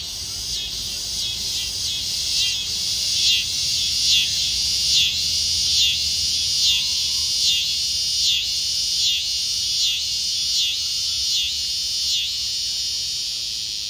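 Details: A cicada sings a loud, high, buzzing drone pulsing in waves roughly every second, in the evening at Coolidge Park, Chattanooga, Tennessee.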